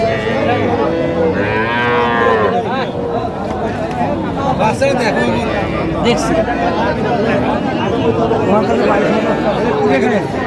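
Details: Young cattle, small bulls and heifer calves, for sale at a market in Jamalpur, Bangladesh, in August 2025; a clear moo swells around the second mark, then the sound gives way to a steady murmur of haggling voices.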